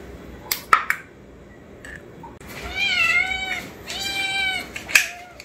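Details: Young kittens in a multi-cat household, fond of canned wet food, loudly demanding that a can be opened: two drawn-out, arching meows a second apart, with sharp tapping clicks before and after.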